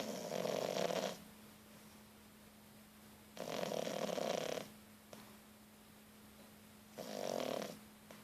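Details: Louna, a three-month-old French Bulldog puppy, snoring while asleep with eyes open: three rasping, breathy bursts about a second long, spaced roughly three seconds apart, with near silence between breaths.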